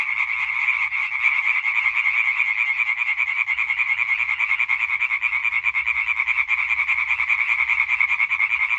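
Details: European tree frog chorus dated 20 May 2023: many frogs croak in fast, overlapping rasping pulses, about three per second, forming a constant loud concert without pauses.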